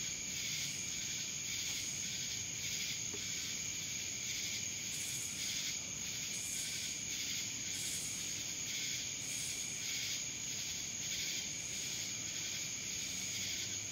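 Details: Cicadas in Dallas, Georgia fill the air with a continuous shrill, unbroken buzz; over it a softer rasping layer swells and fades in a slow pulse about every second and a half, like overlapping callers.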